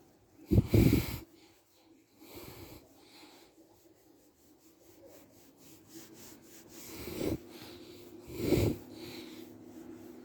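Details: Chichi, a playful, friendly pet Shiba Inu kept near Kanahama, Aomori City, Aomori Prefecture, Japan, after being stroked on head, neck, chin, back, thighs and belly: two loud, short, breathy snorting sneezes, one near the start and one near the end, with soft breathing between.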